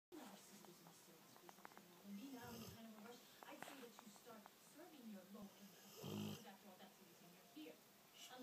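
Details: A sleeping 2-year-old female Rottweiler snores with deep, rasping breaths while people talk quietly nearby.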